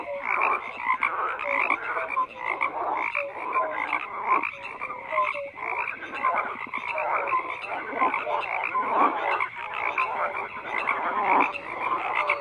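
A dense chorus of frogs croaks continuously, many voices overlapping in rapid, rattling pulses.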